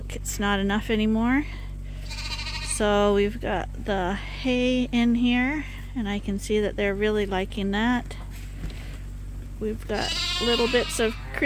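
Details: A group of lambs at Ewetopia Farms, topped up twice daily on a hand-made bottle feeder: a busy chorus of repeated wavering bleats, some drawn out, some short, over a constant low hum.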